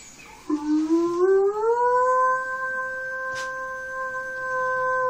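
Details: A Standard Poodle named Lilly, in a howling competition with a man imitating wolves, gives a long howl that slides upward, then holds a steady, drawn-out tone.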